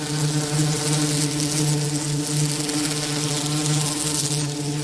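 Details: Bee buzzing as a low, continuous drone with a steady pitch, set against a rough background hiss.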